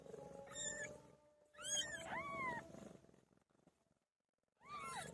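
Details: Pet cat Pilo giving birth, meowing repeatedly: a short high meow, then a drawn-out bending cry, a pause of about a second, and another falling meow, with a faint steady hum beneath.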